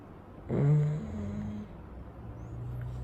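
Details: Sleeping Chow Chow dog after his wash on a warm day: one low, droning snore-like breath that fades into a soft hum, over a steady background hiss.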